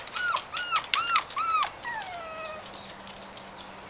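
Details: Bichon Frisé puppies aged four weeks and five days, a litter at a kennel, giving four quick arched whimpers in a row, then a longer falling whine trailing off, with a faint steady hum underneath.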